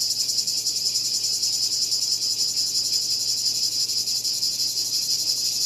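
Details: A cicada's shrill, continuous buzz, grainy with rapid pulses and even in loudness from start to finish.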